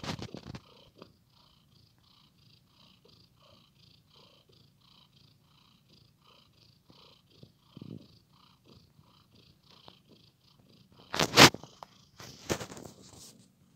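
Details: Cat playing with a blanket, a quiet regular purr throbbing through most of the recording, broken near the end by loud bursts of fabric rustling and handling noise.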